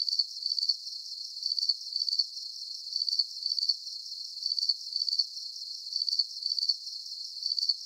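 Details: High-pitched cricket chirps, each a quick cluster of pulses, repeat evenly about twice per second against a quiet background.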